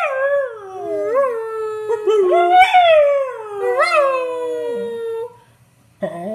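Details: Mila, a Beagle, gives a wavering howl that rises and falls with several yodel-like pitch bumps before gliding down and fading, then starts a fresh howl at the end.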